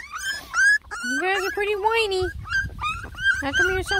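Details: Beagle puppies from a litter of ten lemon and tricolor babies, whining while trying food for the first time; high tonal whines, some rising and some falling, overlapping from several pups, with a woman talking softly.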